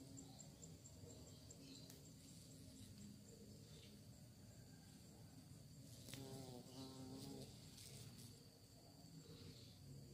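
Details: Bee searching for prey: a low droning buzz with wavering harmonic tones, swelling and shifting in pitch around the sixth to seventh second as the insect moves close, over steady background hiss and faint high tones.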